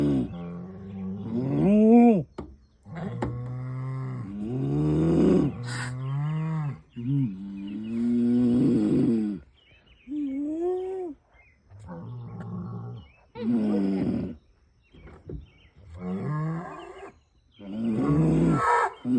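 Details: Cattle in Kentucky mooing in a string of deep, drawn-out, rising and falling calls.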